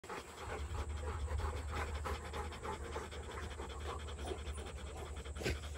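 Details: Rottweiler panting steadily, with rapid rhythmic breaths forming an even, breathy pulse throughout and a faint low hum underneath.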